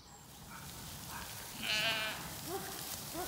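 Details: Zwartbles lambs a few days after weaning on a regenerative farm in County Kilkenny, Ireland, spooked by barking dogs: one loud harmonic bleat near the middle, fainter short calls around it over low rumbling background noise.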